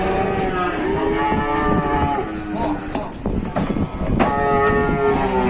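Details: Cattle destined for slaughter arriving at a market: a low harmonic moo in the first two seconds, then clattering knocks and bumps, with people talking nearby and engine noise.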